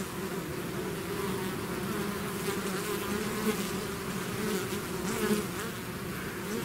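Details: Honeybee-type swarm pouring out of its hive, a dense continuous drone with steady low hum bands and shimmering overtones, level and unbroken throughout.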